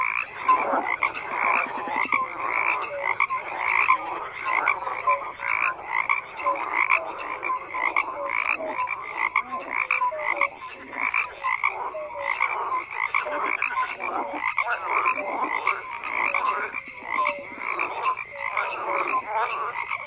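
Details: A long stretch of massed frog croaking: relentless overlapping rattles and grating pulses, with scattered short whistled notes, and the chorus swelling and dipping in loudness without any break.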